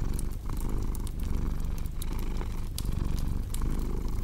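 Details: Close, deep purring from a domestic cat, a buzzy low rumble broken into breath cycles about every second, with bright clicking crackles of a fireplace scattered on top.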